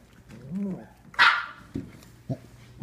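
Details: Samoyed puppies just over five weeks old crowd a person in a pen: a short rising-falling whine, then one sharp bright bark and two soft low yips, with a man's voice greeting them close by.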